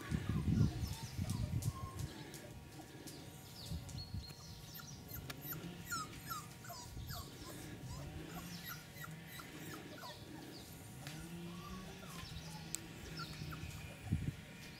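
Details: Four-week-old Cane Corso puppies giving scattered thin, falling whimpers throughout, some overlapping, over a loud low rumble and handling noises, with a few sharper yips near the start and end.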